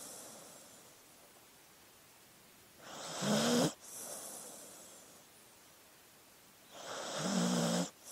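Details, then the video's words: Dog asleep, giving two snoring breaths about four seconds apart. Each is a harsh rasp that ends in a brief whining tone, with faint breathing between them. "Sleeping Dog Sounds"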